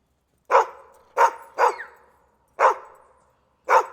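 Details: Dog giving five loud sharp barks, two close together then spaced out, each with a short fading tail; quiet between barks.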